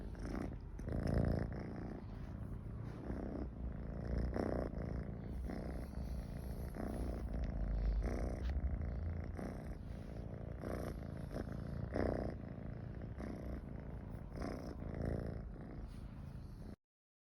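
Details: A cat named Michi purring while comfortable near people: a steady low rumbling drone with soft rhythmic pulses roughly four times a second, continuous through the recording, with faint hiss in the background.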